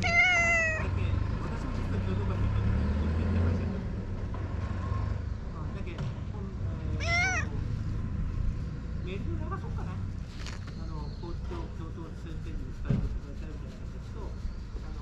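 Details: Stray community cat in Japan giving a clear drawn-out falling meow at the start, then a rising-falling meow around seven seconds and fainter mews later, with low vehicle rumble, handling clicks and human speech in the background.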